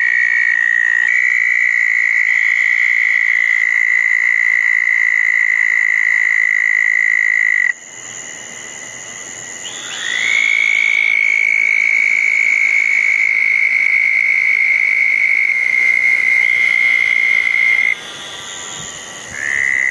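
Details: Several southern toads trill on a wet June night in 2014 at small garden ponds after a thunderstorm. A long, even trill stops abruptly near eight seconds. After a short lull another starts, slightly rising, and carries on past the end.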